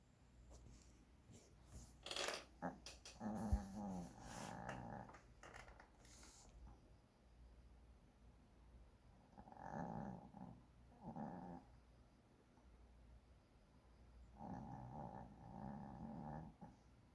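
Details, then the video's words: Sleeping puppy snoring indoors: after some clicks and rustling early on, rough, harmonic breathing snores come in two drawn-out bursts, around the tenth and fifteenth seconds, each made of several rasping pulses. "snoring puppy 코고는 ~~ 코골이~~"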